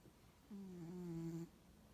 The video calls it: Snoring Bengal Cat - noisy awake and noisy asleep